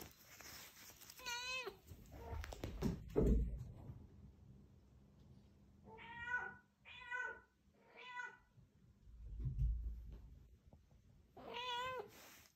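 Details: Female Scottish Straight cat Fumiko returns a ball, asking for it to be thrown again. A single meow is followed by thumps, then four quick evenly spaced meows and one last long meow.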